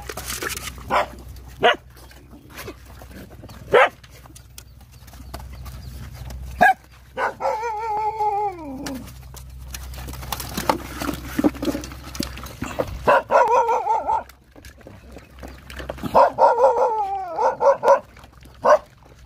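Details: Hungry Rottweiler dogs with nursing puppies: scattered sharp yelps, then a drawn-out, falling whine rich in overtones, and later wavering, high whimpers over low background rumble.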